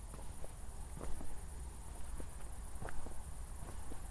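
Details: Crickets at night just after a thunderstorm near Zwettl, Austria, on a walk with city lights in the distance: a steady, high, rapidly pulsing chirr runs throughout beneath crunching footsteps and a low rumble.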